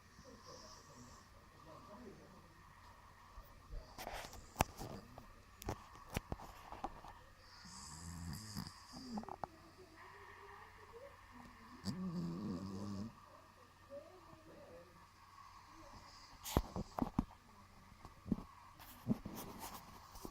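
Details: A heavily snoring Maine Coon cat breathes in slow, low, rasping snores that rise and fall every few seconds; faint voices and a few sharp clicks sound in the background of a quiet room.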